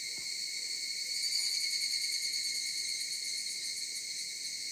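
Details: Cicadas calling in the mountains, steady piercing buzz with a gentle swell in loudness near the middle, plus a brief soft knock at the start.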